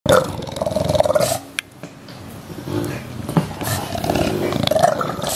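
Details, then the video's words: English Bulldog, one of two young dogs of about one year and ten months, giving a loud, rough, roar-like growl in the first second, then quieter snuffling and scuffling noises, with a harsh burst again near the end. "英國鬥牛犬 English Bulldog"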